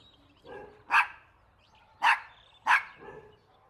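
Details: Puppies playing a toy battle outdoors with their mother dog: three short, sharp barks spaced about a second apart, with a softer muffled yelp before and after.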